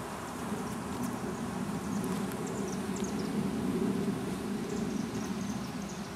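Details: Drone honey bees, male bees without stingers, gathering in an oak tree in Tampa, Florida, as the growing colony readies a swarm with a new queen; a steady low droning hum continues throughout, with faint high chirps above, recorded on a Panasonic PV-GS83 camcorder.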